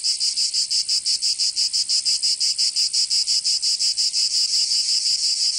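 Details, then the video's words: Cicadas of Provence, southern France, in summer: loud, sharp buzzing broken into fast regular pulses, close to three per second, nothing else audible. "Canto Cigarra 🦗 [ Escuchar les cigarras en verano 10 H]"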